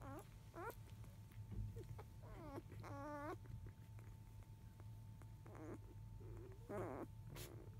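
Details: Five-day-old field-type Labrador Retriever puppies whimper while their mother is away eating, just past 1 pm; brief rising squeals and several wavering whines come in small bursts against a persistent low droning hum.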